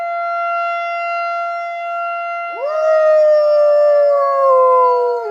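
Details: Coach, a pet dog, howls in answer to a tornado siren. The steady siren tone plays alone at first, then a loud, wavering howl rises in and holds to the end, slowly falling in pitch over the siren.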